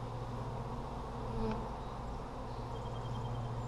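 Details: Honey bees in an Apimaye hive during a July 23, 2020 inspection for brood, a steady low droning hum filling the recording with faint handling noises.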